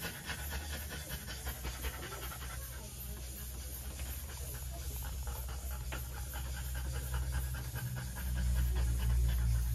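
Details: Rapid rhythmic panting from a female French Bulldog undergoing trans-cervical insemination, close and clear at nearly four breaths per second, with a steady low hum beneath that grows louder toward the end.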